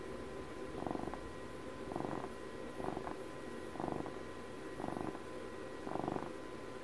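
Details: Purring house cat for Puppy's 12th birthday; six even rumbling surges, one per second, each with a buzzy low texture, over a soft steady hum.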